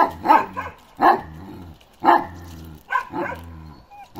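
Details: Balyoz, a 15-month-old male Kangal with a karakırçıl (black-grizzle) coat, barks deeply: five loud barks at uneven intervals over about four seconds, some doubled, over a low steady droning hum.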